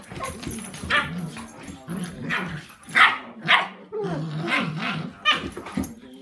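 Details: Two young dogs, Sandy, a 10-week-old puppy, and Rozzie, seven months old, at play: sharp yipping barks come in bursts about twice a second, mixed with low rumbling growls throughout.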